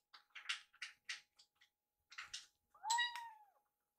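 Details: Rescued kitten at feeding time, eating a littermate's leftover food: a quick series of soft clicks and chewing sounds, then one clear, loud, falling meow.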